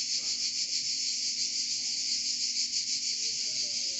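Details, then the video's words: Provence cicada chorus in France: unbroken, shrill, high-pitched droning buzz with rapid rhythmic pulsation and steady loudness, a few faint low sounds in the background. "Chant des Cigales en Provence"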